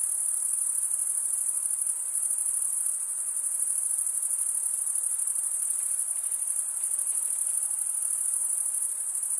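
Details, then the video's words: A constant high, shimmering trill of male crickets chirping by wing stridulation, fast even pulses running throughout with only slight swells in volume, soft noise underneath. "Most relaxing cricket sound"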